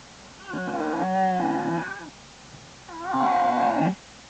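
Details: Two bawling, nasal moans about two seconds apart from an American black bear in Lily's den, January 27, 2012, each rich in harmonics with a wavering pitch, recorded indoors in the den.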